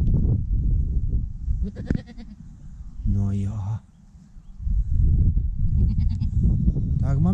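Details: First newborn goat kid of the year bleating: a drawn-out, even bleat near the middle, with shorter cries before and a rising one at the end, over heavy low rumbling and handling noise.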